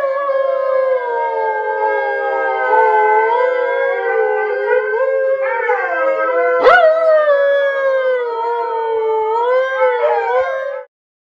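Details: Alaskan Malamutes singing together in a sustained group howl, several drawn-out wavering voices layered and gliding up and down, one sharp yip midway, then stopping abruptly.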